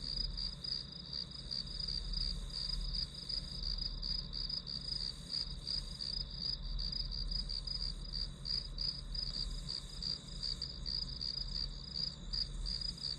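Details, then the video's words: Grass insect chorus used as white noise for studying: shrill chirps repeated about three per second without pause, layered over faint low-frequency background noise. "풀벌레 소리"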